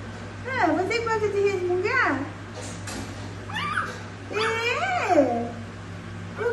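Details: Dwarf German Spitz puppies indoors making whimpering, sliding whines that swoop up then down, in separate bursts about every one to two seconds, over a constant low hum.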